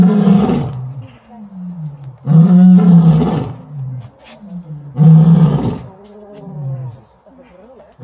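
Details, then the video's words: A lion at a lion and tiger sanctuary, Landgoed Hoenderdaell in the Netherlands, gives deep, booming roars, each trailing off into shorter falling grunts. "Leeuw gebrul Landgoed Hoenderdaell"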